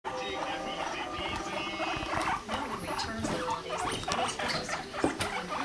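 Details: Male guinea pig Rumply mating with a five-month-old female named Fluff; dense, rapid clicks with short squeaky chirps, in a steady low rumbling chatter over a faint background hum.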